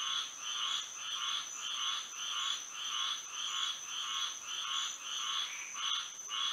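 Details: Nighttime frog chorus in Florida by moonlight, steady rasping croaks pulsing roughly every half second, many voices blending into one rhythmic trill over a continuous high-pitched insect drone.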